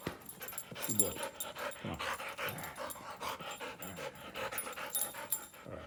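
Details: Wheaten Terrier from Florida whines and moans in a string of short, wavering, bending cries over steady background noise.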